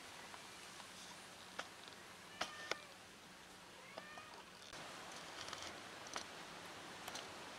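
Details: A lost kitten reunited with her family makes a few short, faint meows between scattered clicks and taps over a constant hissing background.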